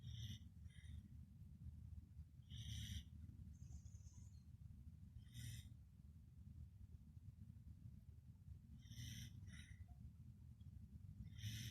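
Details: Sleeping Pembroke Welsh Corgi curled near a person's feet, giving hissing, wheezy snores roughly every three seconds over a steady low rumble of breathing.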